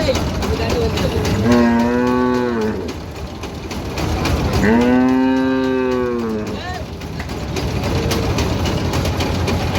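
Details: Cattle of local deshi breed lowing while being unloaded at a cattle market in Bangladesh; two long, loud, wavering moos with rich harmonics, each about a second or more, over constant engine and crowd noise.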